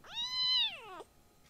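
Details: A tiny rescued kitten gives one loud, drawn-out meow as the litter plays and clambers over an older cat indoors. The cry holds a high, steady pitch, then slides sharply downward before cutting off, leaving a quiet room.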